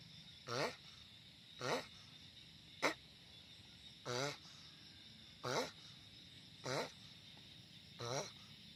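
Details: Noisy sulcata tortoise: about six short groaning grunts at roughly one-second intervals, plus one sharp brief click in between, over faint hiss.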